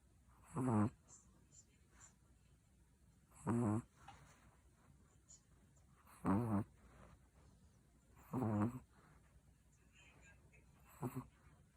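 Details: Sleeping Chihuahua snores in a steady rhythm, with five short, raspy snorts about two and a half to three seconds apart; the last one is softer. The background is quiet.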